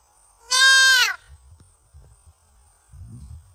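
A young deer utters a single drawn-out, nasal bleat lasting about half a second, its pitch easing downward. It is a fawn's call for its mother, followed by faint low rustling.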